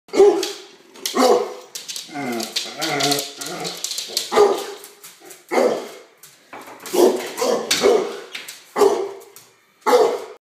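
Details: Pet dog reacting to a knock on the door, barking repeatedly in loud sharp bursts roughly once a second, with a brief run of lower growling whines midway and short pauses between groups of barks.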